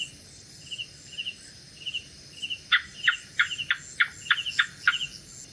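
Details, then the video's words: A gecko at night gives one run of about eight loud, sharp chirping clicks in quick succession, starting after a quiet stretch of regular soft insect pulses, with a faint high hum throughout. "Gecko Sounds | Gecko Sound Effects | Lizard Sound At Night"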